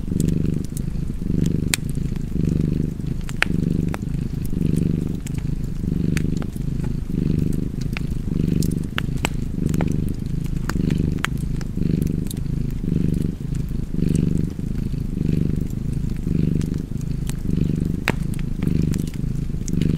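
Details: Cat purring beside a fireplace: a steady, low, rumbling purr that swells and fades with each breath, about once a second, over twenty seconds, with sharp crackles and pops from the fire throughout.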